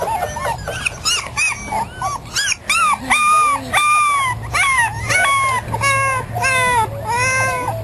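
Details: On their first day outside, five 3.5-week-old puppies of a terrier mother and Australian Shepherd father give arched, harmonic whines every second or so; a voice and a low hum sound faintly behind them.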